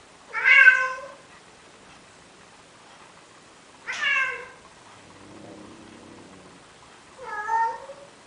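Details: Courting male cat in Athens, Greece, begging a female Siamese cat to mate, giving three plaintive meows spaced about three seconds apart, with a soft low murmur in the gap.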